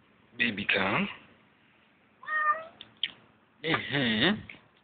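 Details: Hungry female cat that came to a tent at night at a field school campground, meowing plaintively while being called; drawn-out harmonic meows alternate with a person's gentle talking.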